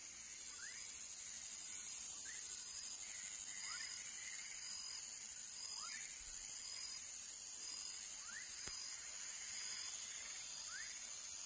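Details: Young frog calling: short rising whistled chirps, each sweeping upward, repeated roughly every one and a half seconds over a steady high insect drone.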